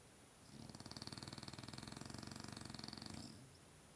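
A French bulldog snores with a rapid, rattling flutter lasting about three seconds.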